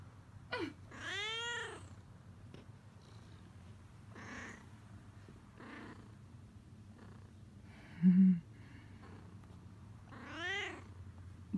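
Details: Lola, a pet cat wrapped up in a heated blanket indoors, gives a long arching meow followed by softer, shorter mews and a final rising-falling meow, over a steady low rumble in a small room.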